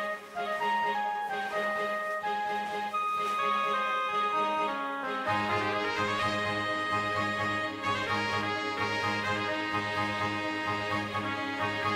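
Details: Orchestral music led by trumpets and trombones, with swelling brass chords throughout and no animal voice.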